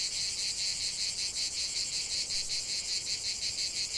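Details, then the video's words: Cicadas singing in nature: a dense, continuous high buzzing chorus with rapid pulsing, about two to three pulses per second, steady and unbroken throughout. "45 min de chant des cigales"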